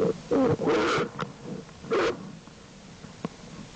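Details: Jewel, an American black bear mother, with her two cubs Herbie and Fern in the den on 7 April 2012: brief tonal, whining calls in two separate bursts, with soft shuffling and faint clicks between them.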